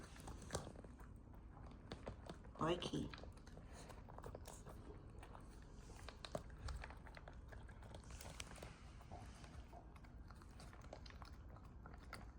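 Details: A puppy named Corky eating its food indoors: rapid, irregular crunching and biting clicks throughout, with brief human speech near the start and a few louder bites later.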